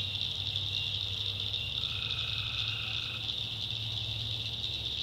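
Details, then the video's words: Tree frogs calling at night in a North Carolina backwoods swamp: a steady high shrill chorus, with one lower buzzy trill of about a second and a half rising over it midway, and a low hum beneath. "Relaxing Swamp Sounds at Night - Frog Heaven - Frogs"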